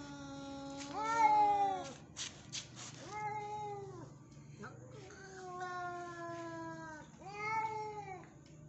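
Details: Angry Persian cat giving four loud, drawn-out yowls spaced about two seconds apart, each a strained, slightly falling cry lasting around a second, with a few short clicking or scratching noises between calls.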